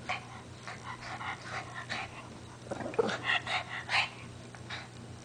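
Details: Lacey, a pet Shih Tzu, tugging at a pink blanket in a goofy game of tug of war, gives a run of short, rasping growls with a few higher yipping notes, in quick uneven pulses.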